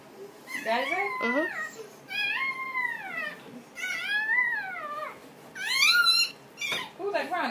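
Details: Female Dobermann in labor all day, giving birth to puppies indoors: a series of high, bending whimpering cries that rise and fall in pitch, broken by short pauses, with a person speaking softly between them.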